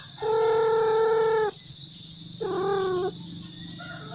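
A male cat gives long, drawn-out yowling cries to attract females.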